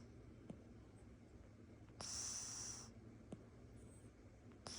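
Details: A sleeping tabby Oriental Shorthair cat, snoring in its owner's lap, gives one soft, airy snoring breath, a brief hissy rush of air.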